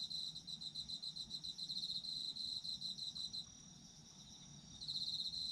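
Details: Autumn insect calls: fast, evenly pulsed high chirping for about three seconds, a brief pause with only a steady ringing whine, then the pulsed chirps resume; soft low background hum.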